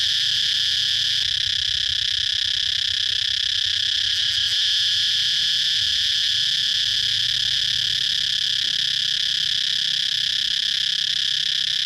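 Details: Cicada heard outdoors, giving an unbroken, even, high-pitched sizzling buzz at constant loudness from start to finish, with no clear pulsing.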